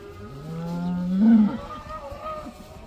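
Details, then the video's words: A cow let outside for the first time gives a single rising moo that swells and then breaks off, with a softer call from the herd behind it. "These cows are allowed to go outside for the first time! They love that!!"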